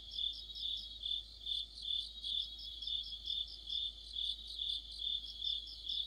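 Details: Autumn insect orchestra of crickets beside a streetlight, a steady shrill trill running throughout, with bright pulsed chirps stacked on top and volume rising and falling roughly every half second.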